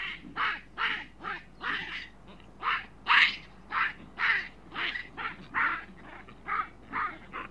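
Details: Juvenile chacma baboons in Africa screaming: harsh, rasping bursts repeated roughly twice a second, about seventeen in a row, uneven in loudness, with a faint low hum underneath.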